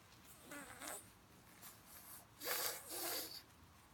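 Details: Snuffling pug: two soft nasal snorts early on, then two louder, hissy snorting breaths back to back near the end.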